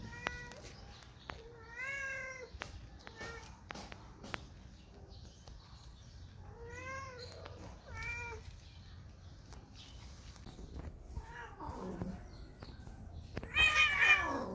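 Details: Whisky, a spayed female house cat acting in heat two years after spaying and seeking a male, gives harmonic, wavering meowing cries in two pairs, with clicks and rustling between them and a brief hiss at the end.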